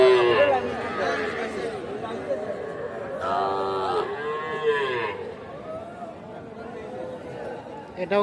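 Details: Sahiwal bull calves at the Aftabganj cattle market, Nawabganj, Dinajpur, Bangladesh, on 8 October 2024; rising-then-falling arched moos stretch over about two seconds midway, with busy market voices talking throughout.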